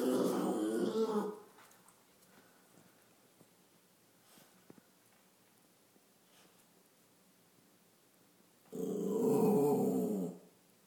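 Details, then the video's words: Chihuahua acting tough, with two short, harsh, noisy growling bursts about eight seconds apart, separated by near silence and faint room noise. "Chihuahua J-man the "Tough guy""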